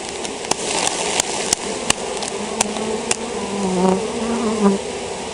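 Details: Honey bees of a colony affected by European foulbrood, droning as a steady broadband hum with wavering buzz tones of passing bees and several sharp knocking clicks scattered through.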